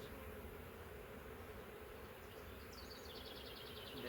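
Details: Massive honey bee swarm from a wild hive that lived three years in the woods, caught in a swarm trap and moved into frames: a steady, low, dense hum throughout, with high chirping birdsong toward the end.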